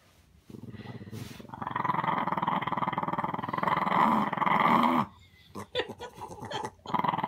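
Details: Small dog gives a big, throaty growl that builds over the first second and holds steady with fast pulsing for about four seconds, then breaks into short choppy growl bursts separated by brief gaps.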